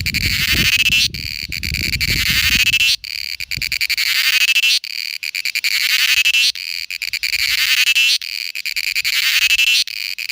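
A cicada's shrill, grating buzz swells in pulsing phrases, each lasting a second or two before a brief break.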